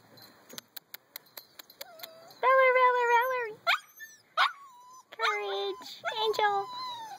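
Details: Eight weeks old, a litter of puppies: soft clicks and taps, then long, loud, wavering whines with rich harmonics, followed by more sliding cries and yelps, while a person speaks nearby.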